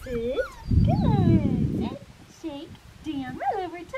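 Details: Young blue merle Australian Shepherd female from Fifteen Acre Farms kennel in Oklahoma yelps and whimpers: piercing, bending whines rising and dropping several times, one longer squealing cry early on, while someone speaks softly underneath.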